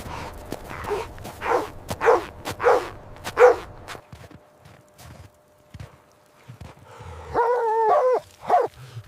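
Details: Puppies and their mother dog at play on snowy ground in winter: a cluster of loud barks, a quiet stretch with soft thumps and rustling, then wavering, pitched whimpers near the end.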